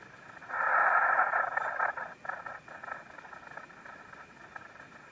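A spittlebug gives a harsh, buzzy burst during mating, then fainter rapid pulses that fade out.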